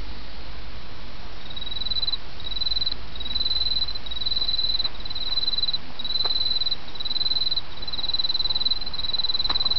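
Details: Autumn insect song carried over the sound of a flowing brook: high, shimmering trilled phrases of varying length repeat with brief pauses, with a few faint clicks and steady water noise beneath.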